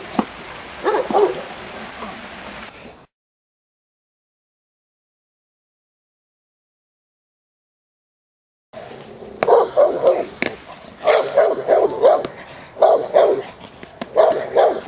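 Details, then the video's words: Presa Canario female J7's Kelly of the Irema Curto line barking during protection training at De la Arena field, Germany; a short burst of barking, a silent gap, then a run of deep, rapid, rough barks in quick succession. "J7's Kelly Presa Canario Irema Curto line training protection working at De la Arena field Germany"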